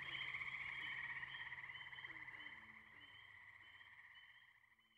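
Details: Tree frogs at the Firestone Park wetlands, Columbiana, Ohio, on May 6, 2023, Zoom H2n recording: a high trilling frog chorus, quieter and more distant, gradually fading away over five seconds with a few faint lower notes.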